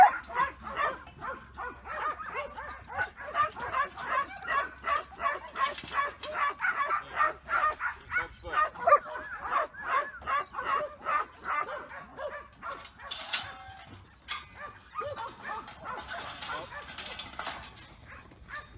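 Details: Black and tan Kelpie yard dog Cobber, two years old and unregistered, barking on command: a long dense volley of clipped barks, slightly irregular, easing and thinning out in the final seconds.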